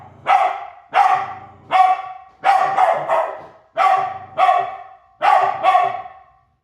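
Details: A chasing dog barks in loud bursts, mostly pairs of quick barks with short pauses, about eight barks in total, each harsh and strong before the sound drops away at the end.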